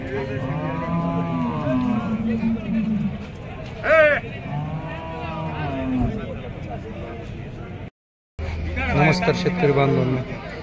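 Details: Buffaloes offered for sale at the Ghodegaon buffalo market, milch animals said to give 12 to 18 litres of milk; several long, low, harmonic moos with overlapping callers, a short bleat-like call, a man speaking, and a brief break in the sound.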